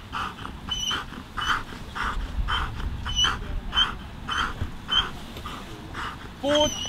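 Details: Dog at a 2023 FCI IGP national championship working-dog trial, giving rhythmic panting breaths almost twice a second with thin high whines laced through them, ending in a rising then falling whimper.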